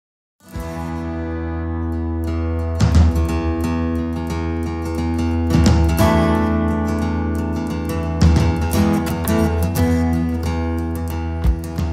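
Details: Plucked-string music with a steady bass fills the recording, with no animal voice present.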